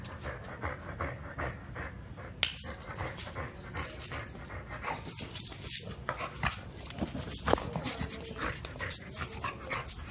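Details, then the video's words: Two-year-old male American Bully named Milo pants while wanting to play, quick breathy huffs in a steady run with a sharp click near the start and faint whimpering tones later. "AMERICAN BULLY WANTED TO PLAY"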